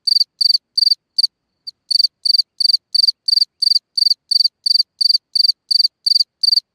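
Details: Night chirping of a cricket in a hole in the ground: shrill pulsed chirps repeated about three times a second, with a brief break near the start before the rhythm resumes.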